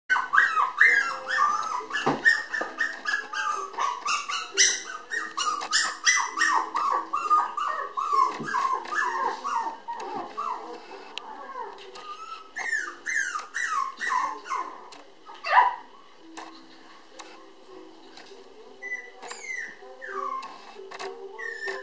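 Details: Red Toy Poodle puppy, female, 758 g, born January 30, lively and fond of people, indoors: rapid high squealing whimpers and yips, many bending down in pitch, tumbling over one another almost continuously with short breaks.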